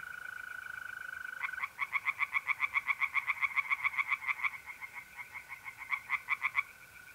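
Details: Tree frogs singing in a pond on an April night in north-east Italy: rapid pulsed croaks repeated about four times a second in a long series, over a steady high trill of mole crickets.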